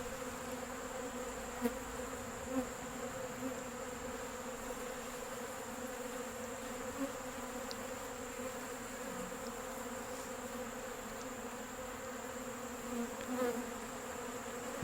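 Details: On a nice day, many Western honey bees (Apis mellifera) crowd a bucket feeder of sugar water, giving a steady, droning hum, a dense buzz that barely varies in pitch.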